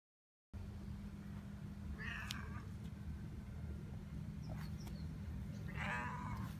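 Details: Cats, a tabby and a big tuxedo cat, relaxing together; two short harmonic meows about four seconds apart over a steady low hum and faint background noise.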